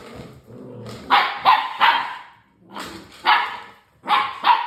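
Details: English Springer Spaniel puppies, six weeks old, give sharp, high yapping barks in quick clusters of two or three, with brief pauses between clusters and soft scuffling in the background.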